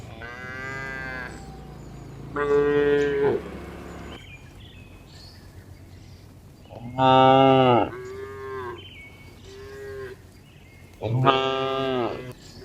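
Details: Tame village cows mooing while being herded back to the barn in the afternoon: four harmonic-rich moos, two of them loud and strained, about four seconds apart, with a steady low hum behind them.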